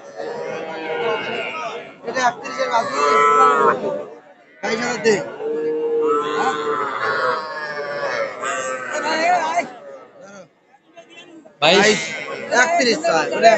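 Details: Calves at a Narail cattle market on 18 May 2024, small bulls and heifers: repeated low moos mixed with bargaining voices and crowd murmur, broken by short pauses.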